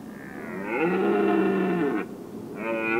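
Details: Evening rut of red deer in the Weerterbos, 27 September 2013, from the lookout tower: a sustained, strongly harmonic roar of about a second and a half, then the start of another.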